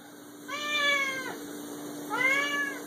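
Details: Six-year-old male Siamese cat indoors giving two loud, drawn-out meows, each about a second long with a slightly rising then falling arched tone, separated by a short pause; steady low hum in the room.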